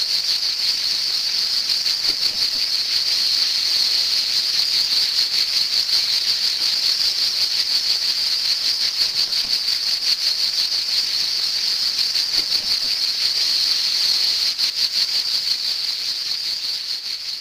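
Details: A cicada's shrill, unbroken buzzing drone, steady and loud from start to finish, during the cicada's short summer life.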